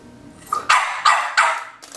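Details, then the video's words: French Bulldog puppy, female, barking at the owner trying to photograph her: three sharp, high yappy barks in quick succession about a third of a second apart, after a soft whine-like lead-in and followed by a short fourth yip. "This little puppy bulldog tells me what's on his mind while I was trying to get the shot."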